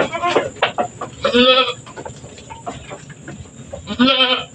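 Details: Goat on a small goat farm, giving birth to two kids in quick succession; three short, wavering, nasal bleats spread over a few seconds, with quieter shuffling and faint human voices between them.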